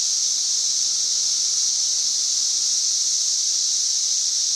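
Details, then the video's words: Loud chorus of cicadas in a tree, recorded May 31, 2024, at roughly 90 decibels, a steady shrill high-pitched buzzing hiss that never pauses or changes level throughout. "Cicada Singing"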